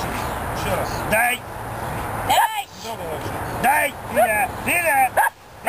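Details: Belgian Malinois named Flint, a protection dog in training, giving a series of sharp, harmonic barks in quick bursts, some paired, between stretches of a man's voice issuing commands in Russian over a steady hum of traffic.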